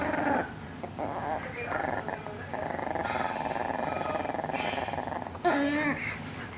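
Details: A little pet Chihuahua named Chiquita keeps up a steady, rumbling growl for several seconds while guarding her toy in a nightly play game, with a man talking briefly at the start and a sharp rise near the end.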